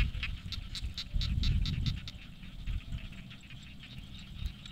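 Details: Frogs calling in a rice field in the late afternoon, a quick series of sharp clicking notes about four per second.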